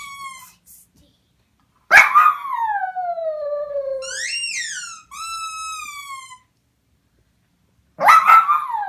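A puppy gives high, wavering whines and yelps, some sliding downward, others rising and falling.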